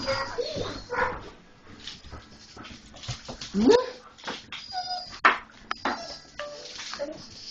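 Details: German Shorthaired Pointers noticing a stray cat outside, whimpering and giving short yelps, with one rising, strained whine midway, while people talk in the background.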